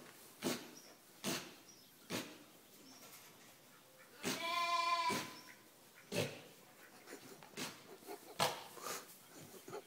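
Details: Sneezing sheep suffering from hay fever on a park farm in Snettisham, Norfolk; sharp, hissing snort-like bursts repeated irregularly about once a second, interrupted by one short wavering bleat.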